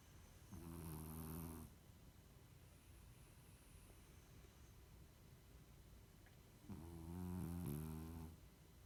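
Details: French Bulldog asleep, giving two rattling, buzzy snores about six seconds apart, each lasting over a second, with quiet breathing between them in a still room.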